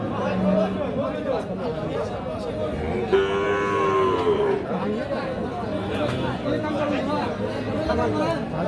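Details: At the busy Ambari cattle market, Parbatipur upazila, Dinajpur, on 26 March, a Sahiwal bull calf gives one long, wavering moo midway through. Constant voices and market bustle surround it.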